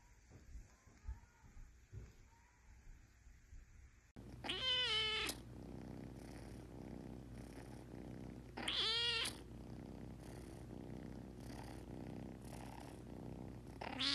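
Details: Kittens meowing: after a quiet start, two loud high harmonic meows with a rising-falling shape, about four seconds apart, over a steady low hum.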